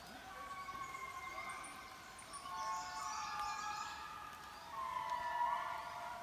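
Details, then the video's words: Indri lemurs (Indri indri) in Mantadia-Andasibe National Park sing long, wailing, siren-like notes that slide up and down in overlapping waves. These calls carry for miles. "Song of the Indri"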